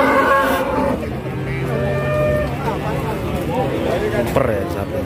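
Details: Cattle tired after a long truck journey, reaching the Wage cattle market in Pati, Indonesia, and collapsing on arrival: a loud, harmonic, drawn-out moo at the start, then a shorter rising bellow, with engine hum and murmured voices behind.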